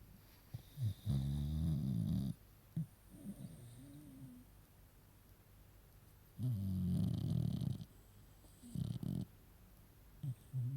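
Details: Sleeping female beagle puppy snoring loudly: two long, deep, rattling snores about five seconds apart, with shorter snorts and snuffles between them, indoors.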